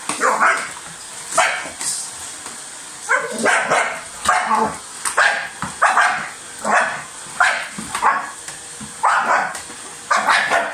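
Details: Dog barking while biting at a vacuum cleaner, short sharp barks repeated roughly every second over a steady motor hum.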